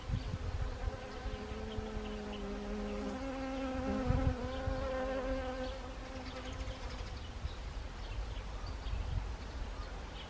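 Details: Autumn honeybees at flowering Siberian chrysanthemum, Gangwon Province, 1 October 2020. Overlapping wingbeat hums at two slightly different pitches blend, then one tone steadies and drones on, with a soft low rumble underneath.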